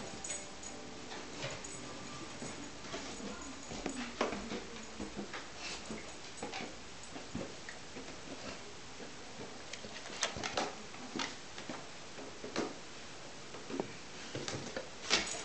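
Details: Bodger, a pet dog, climbing the stairs indoors: faint, thin whimpering whines early on and then scattered along with sharp clicking steps throughout.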